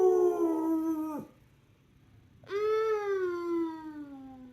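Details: A rescue pit bull howls along in a sing-along, two long, mournful howls, the first sliding down, the second rising then easing off.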